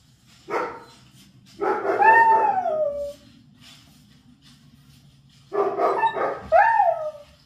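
A Kangal gives drawn-out, falling, howl-like barks in two bursts with a pause between.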